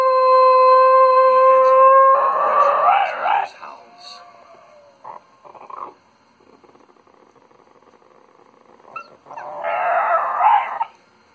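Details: Pet Schnoodle dog howling indoors in sympathy with a lost Arctic wolf pup on a TV nature programme: a loud, steady high-pitched tonal howl for about two seconds, then rough, noisy bursts, softer wavering notes and another harsh outburst near the end.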